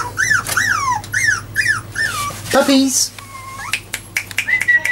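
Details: Jack Russell Terrier puppies at four weeks, just learning to walk indoors: a run of arched, whining squeals dropping in pitch, then a brief low human voice and a few thinner squeaks over steady hum.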